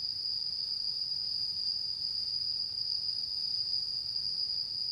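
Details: Autumn insect chorus on the night of the harvest full moon, 10 September 2022: one continuous shrill ringing tone, even in pitch and loudness, over soft low background noise.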